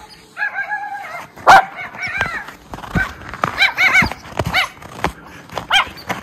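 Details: Two Miniature Schnauzer brothers romp through deep snow tunnel trails in Aroostook County, Maine, on January 22, 2023, after two weeks of snowy weather; scattered sharp barks and high whiny yips come in short irregular bursts.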